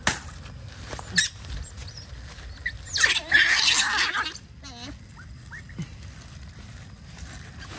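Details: Otters in mangroves, eager for a breakfast of fish, give a loud harsh squealing burst followed by short wavering squeaks and faint high chirps, with pattering movement and a brief human voice nearby.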